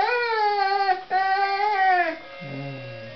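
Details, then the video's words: Honey the dog singing: a wavering, drawn-out howl with a slight rise and fall lasts about two seconds with one brief break, followed by several sustained keyboard notes. "Singing Honey"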